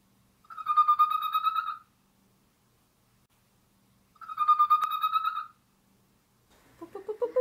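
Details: A pet fennec fox gives a drawn-out, wavering, phone-ringing whine, a contact call repeated twice, followed by rough, grumpy squeaks when pestered while sleeping.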